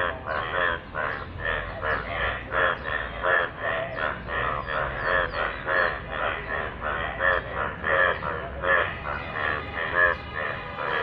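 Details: Yellow frogs calling in rainwater: a dense chorus of nasal, harmonic croaks, several pulses per second overlapping with no break across the whole stretch, and a low rumble underneath.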